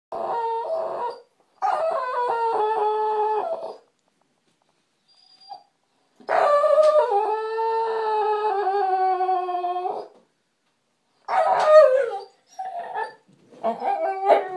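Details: Bully, an American Bulldog male, whining indoors as he does daily when not getting attention: long, drawn-out tonal whines with wavering, slightly falling pitch, separated by pauses, then shorter choppy whimpers toward the end.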